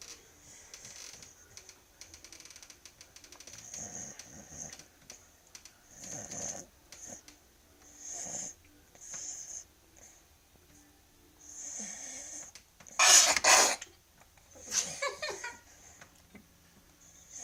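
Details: Sleeping dog snoring like a human, breathy rasping snores repeating roughly every two seconds, with a louder, harsher double snort near the end in a quiet indoor room.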